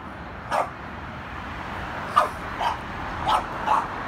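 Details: French Bulldog roughhousing and fighting with its brother; several short, sharp, mid-pitched barks and yips, one early then a quick cluster of four toward the end, over steady background hiss.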